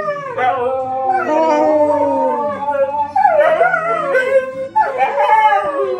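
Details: A pair of household dogs howls with the M*A*S*H theme, as they do whenever it comes on. Sustained, drawn-out howls rise and fall, then break into shorter wavering cries, with soft theme music in the background.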